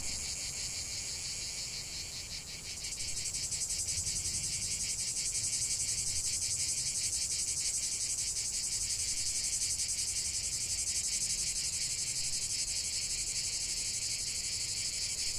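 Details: Chorus of cicadas in a continuous nature recording, a brief dip then a loud sustained high buzzing drone with steady rapid pulsing, faint low rumble beneath.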